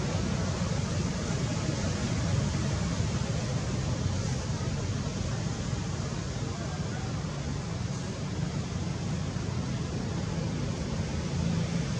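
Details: Loud continuous broadband roar like wind or surf buffeting a microphone, dense in the low range, with no distinct animal sound.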